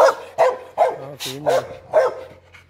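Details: A new pit bull puppy yaps in six short, high barks spaced about every 0.4 seconds, with a low steady hum underneath.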